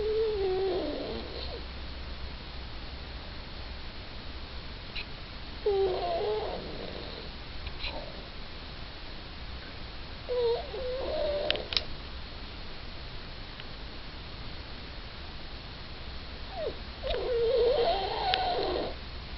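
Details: Sleeping little Yorkshire Terrier snoring, each exhale carrying a faint wavering whistle-whine, repeated roughly every five to six seconds, with occasional small clicks in a quiet room.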